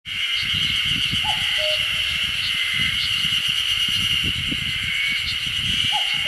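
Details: A steady, high shimmering chorus of Ezo spring cicadas with a cuckoo calling behind, near Odashirogahara in Oku-Nikko, Japan, on 10 June 2015.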